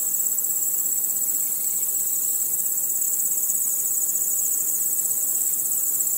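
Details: Night chorus of chirping crickets, a bright high trill pulsing rapidly and fairly evenly, blended with soft buzzing from other insects.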